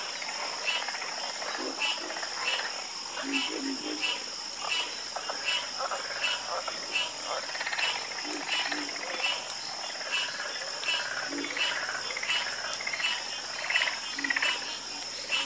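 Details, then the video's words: Many frogs croaking at night, dense overlapping pulses of short rough calls with no fixed rhythm, some lower notes among them, over a continuous high whining background. "Calming Sound Of Harmonious Frog Croaking"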